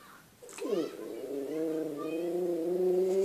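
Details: A domestic dog that wakes its owner by howling: after a brief rising yelp, a steady, sustained howl slowly climbs in pitch and grows louder for nearly three seconds.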